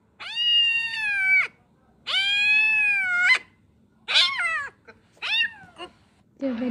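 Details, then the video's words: Kitten meowing after being carried away by water: two long, steady, harmonic meows of about a second each, then shorter wavering, bending meows, with a brief human voice at the end. "Kitten carried away by water"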